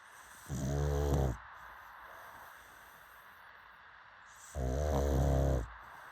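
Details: Sleeping pug snores twice, each a rough, low, rattling snore of about a second, with a long quiet pause between them.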